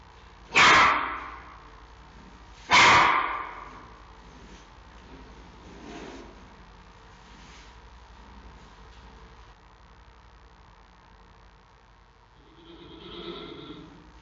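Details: Xiao Qi Ji, a giant panda cub at the Smithsonian National Zoo, Washington D.C., barks at his mother Mei Xiang: two loud harsh barks about two seconds apart, followed by softer quieter vocal sounds and a brief squeaky murmur near the end.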